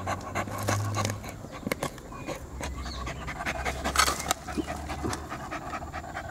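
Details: Poodle dog at home, described as tired, panting in uneven rapid breaths mixed with rustling and handling noises; a low hum underlies the first second.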